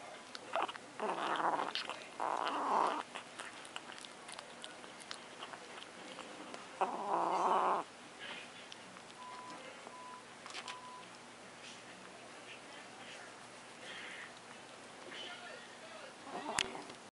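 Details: Pet cat Luna, possessive over macaroni and cheese, lets out two short snarling growls early on and a longer one near the middle, then quieter rustles and a faint beeping tone in a room.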